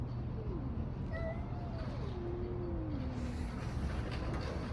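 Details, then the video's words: Cats in a street fight: low, drawn-out moaning yowls that bend and fall in pitch, two voices overlapping briefly, beneath a constant hum of passing vehicles. "Cats fighting on the street making strange noises. Cats Fight"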